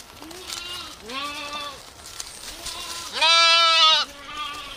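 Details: Goats in a village setting give a series of nasal, wavering bleats: several softer, shorter calls and one loud, drawn-out bleat near the end. A faint background hiss runs throughout.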